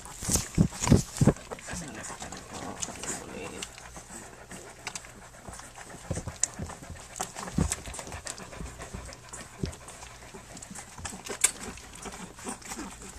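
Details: Flute's puppies, three weeks old, nursing and playing; a few short voiced squeaks open the recording, then quick breathy panting and scattered clicky suckling sounds continue at an uneven pace, with a human voice in the background.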